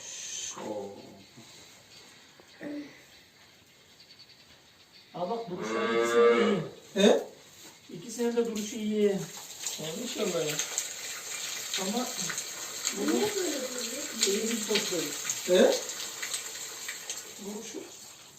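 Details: Simmental cow, one of two on a Turkish livestock farm that showed silent heat, treated with a vaginal hormone device by a vet before artificial insemination; one loud, harmonic, drawn-out moo mid-recording, with men talking in Turkish before and after.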